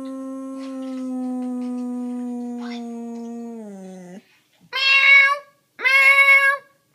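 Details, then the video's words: Dog that hates meowing noises howls long and level indoors for about four seconds, sliding down at the end, followed by two loud, bright meows. "Dog hates meowing noise"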